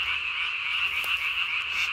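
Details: Japanese tree frogs calling at night, recorded 3 May 2020, a calling male swelling the vocal sac under its chin as large as its body; a dense, unbroken high-pitched chorus hums steadily throughout without pauses.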